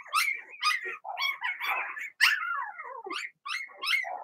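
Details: Blenheim Cavalier King Charles Spaniel puppies from a litter of six, born March 7–8, in an indoor puppy pen: high, sharp yipping barks in quick bursts, about two each second, some sliding down into short whines.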